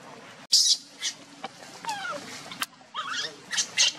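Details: Monkeys during a scuffle, a mother running fast with her baby while another monkey tries to take it; short high squeaks and sliding whistled squeals, with sharp clicks and bursts between them.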